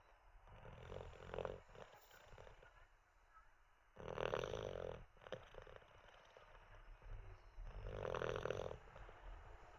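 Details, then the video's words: Olde English bulldog Teddy asleep, not ready to get up after treats and a wee, giving three throaty, rattling snores roughly every three to four seconds with quiet breathing between. "Six minutes of a snoring olde English bulldog"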